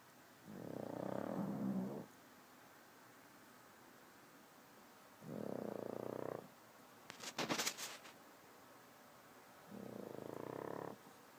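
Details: A pug dog snoring as it sleeps: three slow, rough, rattling breaths of about one and a half seconds each, spaced roughly four seconds apart, with a brief burst of clattering noise between the second and third.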